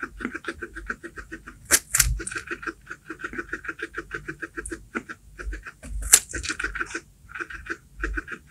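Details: Domestic guinea pig (cavy) eating baby corn, close chewing: rapid steady crunching clicks, several per second, with a few sharper crisp snaps from the corn breaking.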